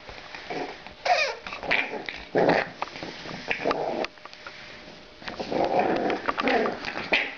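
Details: French bulldog puppies at play growl and whine: rough growling bursts broken by short whimpers and yelps, with scuffling between them.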